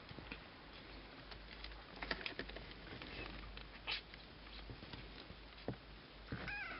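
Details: Cashmere and Bengal kittens, nearly two weeks old, kept indoors: soft rustling and scattered scratchy clicks, ending in one short, high, thin mew with a slight upward bend.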